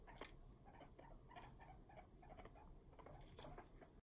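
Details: Angry male guinea pigs chattering their teeth at each other when kept apart indoors; rapid dry clicking bursts repeated through the clip over low rumbling background.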